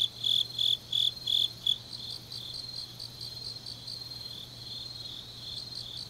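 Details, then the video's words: Grass insects in Changnyeong, South Gyeongsang, Korea, on a deep autumn night: five loud, shrill chirps open the recording, then quieter, more distant chirping continues in a regular pulse over a faint low hum. "깊은밤 가을 풀벌레 소리"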